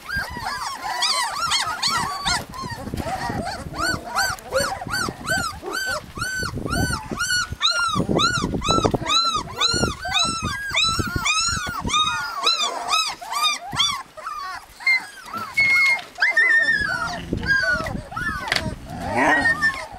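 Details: Lapland husky puppies in a steady whining chorus, rapid arched cries repeated over and over from several pups, loud and continuous, with a few thin drawn-out whines near the end.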